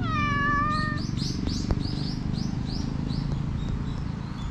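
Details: Black stray cat being tickled in different places, recorded outdoors with a GoPro HERO8: one clear, drawn-out meow lasting about a second. High bird chirps then repeat several times over constant low background hum.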